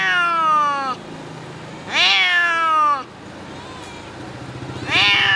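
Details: Domestic cat (Felis catus) in a small cage at a slaughterhouse in Hanoi, Vietnam, 2022, howls in distress, long harmonic wails rising then falling, repeated about every two seconds.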